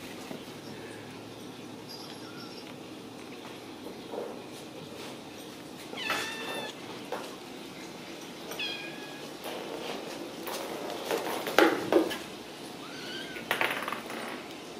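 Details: Ragdoll kittens raised indoors without cages at a cattery in central Kansas, giving several scattered short meows, some wavering, spaced a few seconds apart amid household rustling and clicks.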